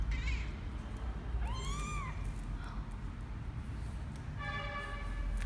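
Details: Twelve-day-old kitten named Misoka on his first venture outside the box, January 12; three high thin mews, one arching long cry near the middle and a final harmonic-rich mew, over a low steady room hum.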